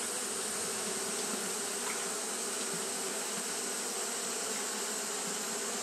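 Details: A colony of Japanese honey bees fanning in hot weather makes a continuous, dense buzz, a steady hum of countless wings with faint passing tones, constant in loudness.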